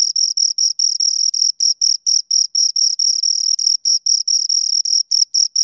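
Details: Two crickets stridulating close by, producing a dense stream of piercing high chirps, some merged into short bursts, steady in loudness and free of other noise.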